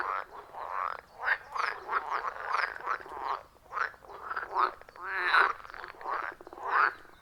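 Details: Forest pond frog chorus recorded in the wild on an iPhone 14 Pro plus Shure MV88+; grating, rhythmic croaks in swelling bursts about once a second, a few higher twangy notes standing out, no music or talking.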